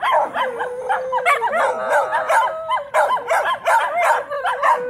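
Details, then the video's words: Several Shetland Sheepdogs, Charlie the female with her brother and sister, howl together as if answering a distant fire-truck siren; wavering, overlapping tones rise and fall, broken by quick bursts of barking. "Charlie the Sheltie is Learning to Howl"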